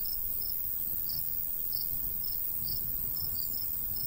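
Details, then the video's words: Sparse, irregular high chirps from crickets in a summer countryside wheat field, a few bright pulses spaced unevenly against a soft, steady breeze. "Countryside/cricket sounds"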